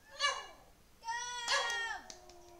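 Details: An 11-year-old Lhasa Apso that loves to sing gives short, tuneful howls that slide downward in pitch.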